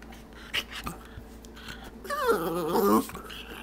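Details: Stormy, a house dog begging for a treat from the jar, gives one warbling, wavering 'talking' whine lasting about a second, preceded by faint clicks and room noise.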